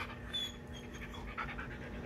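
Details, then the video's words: Belgian Malinois pestering because it is hungry, heard as rapid soft panting breaths with a few brief higher whine-like tones, against a constant background hum. "Ronda makulit na belgian malinois tomjones na daw sya kaya nangungulit na"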